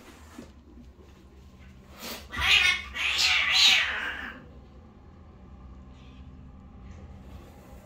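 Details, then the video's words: Fight between a pair of domestic cats, male and female parents of a kitten family. A sudden two-second burst of harsh, strained yowling with hissy noise, then quiet room tone. "Папа кот отомстил маме кошке за избиение 😭 В кошачей семье и любовь и драки"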